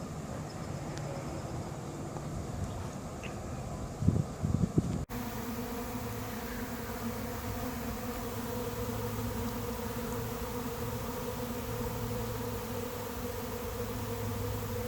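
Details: Late-season honey bee swarm moving into an empty, unprepared hive; a few handling knocks and low rumble in the first five seconds, then a steady, even buzzing hum with layered droning tones for the rest.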